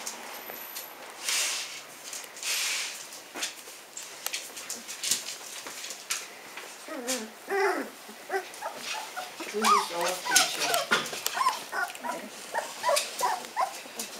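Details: Hungarian Vizsla puppies, 15 days old, eyes newly open and making their first real attempts at walking; after a quiet rustling start, a busy run of short, high squeaks and whimpers overlaps from several pups, with handling noise.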